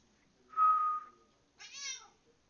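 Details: Pet cat meowing in reply to a person's whistling: a steady whistled tone is followed after a short pause by one clear, harmonic meow that rises slightly and then falls.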